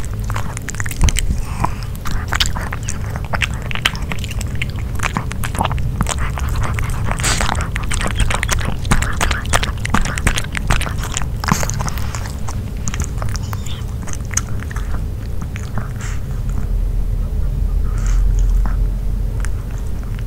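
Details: Nino, a dog, munches on grilled pork. Continuous wet chewing and clicking bites fill the recording, thinning out slightly in the last few seconds, with no talking.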